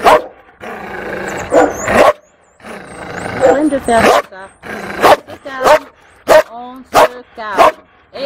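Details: A fearful female Malinois at a Toulouse animal shelter, April 2014; a person talks over the first half, followed by several separate sharp barks with whining, yelping tones spaced under a second apart.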